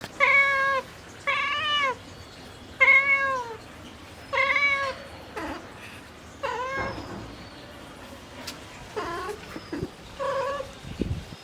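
A mother cat gives a string of loud, drawn-out meows, calling for her kittens.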